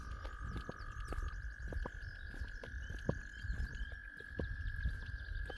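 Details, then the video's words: Gray tree frog giving an unusually long call, still going after 30 seconds, at a flooded culvert: a sustained steady high tone, with a second slightly lower tone dropping out after about a second, over rushing water rumble. "Impressive. That's one of the longest calls I've ever heard from a tree frog. And yeah, it's still going after 30 seconds."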